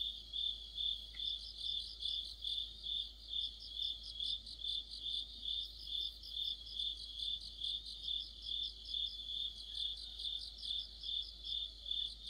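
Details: Autumn night chorus of crickets and other insects near a streetlight: a steady high trill with pulsing bursts repeated about twice per second, several callers overlapping, a brief click near the start.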